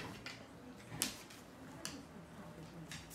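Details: Scattered taps and clicks sound in a small quiet room over a low background hiss, with no animal voices.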